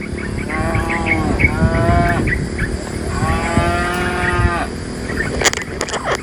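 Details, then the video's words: A herd of dozens of tame cows is being moved by a herder out of the forest toward the pen. Three moos sound in quick succession, two short and one longer and drawn out, over steady chirping of small birds. "the sound of a cow mooo"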